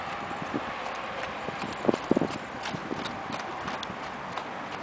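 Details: Arabian horse working in a figure eight, hoofbeats sounding as soft irregular thuds with a few louder clustered strikes near the middle over steady background hiss.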